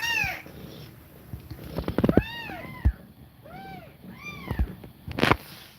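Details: A house cat breathing quickly while feeding milk to her kittens. Several rounded, bowed mews follow in pairs after an opening cry, mixed with soft clicks and bumps of movement.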